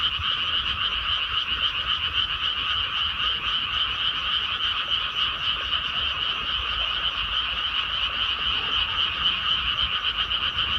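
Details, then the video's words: Chorus of frogs in a freshly planted rice paddy, a steady wall of fast, rattling croaks in two high bands, pulsing nearly four times a second without a break, with low background rumble. "개구리 우는 소리"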